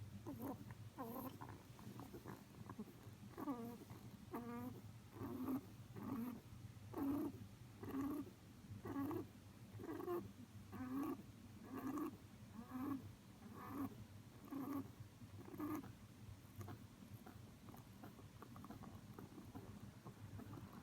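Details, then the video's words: Pet rabbit Miffy sleeping deeply on its back, nose and paws twitching, snoring: soft, low, buzzy snorts with faint harmonics, repeated roughly once per second in a steady rhythm, growing fainter and less distinct toward the end in a quiet room. "仰向けで いびきをかいて本気で寝るうさぎのmiffy🐰Rabbit sleep on his back, snoring."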